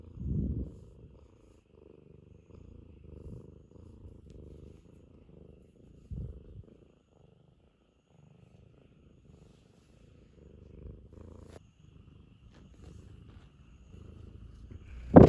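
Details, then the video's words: Ragamuffin cat being affectionate, soft low purring in quiet patches broken by pauses, with a few louder thumps and a sharp knock at the end. "甘える時間を見つけて甘える猫 ラガマフィンcat is affectionate.Ragamuffin."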